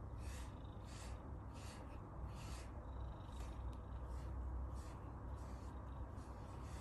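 An Abyssinian cat purrs steadily, a deep continuous rumble of contentment while being groomed.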